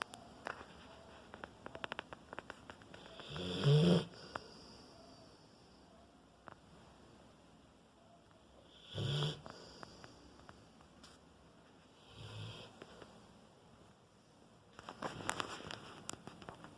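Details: A four-year-old Rottweiler snoring; separate raspy, breathy snores come every three to five seconds, with quiet stretches between them.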